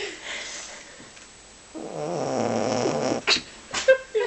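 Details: Male Boxer Aro snoring loudly in his sleep: one sustained, rattling, buzzy snore of over a second, followed by a few short sharp noises.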